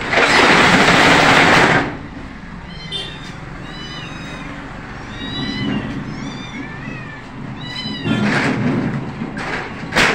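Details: Two kittens stuck in a shop overnight, reunited with their mother cat when the owner arrives; a run of high, thin, repeated kitten mews with arched harmonics through the middle, between loud broadband rustling bursts at the start and end.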